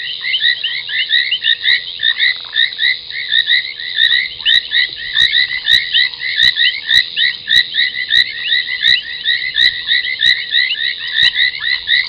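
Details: Night chorus at Gowrie dam, Djuma Game Reserve in the Sabi Sand Wildtuin, South Africa, 23:46 on 30 January 2021: foam nest tree frogs give massed, rapid, creaky croaks over a steady hum, punctuated by sharp clicks.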